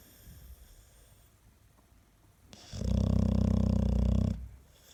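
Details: Snoring Staffordshire terrier indoors: after quiet breathing, one strong, low, fluttering snore of nearly two seconds, rough and rumbling throughout.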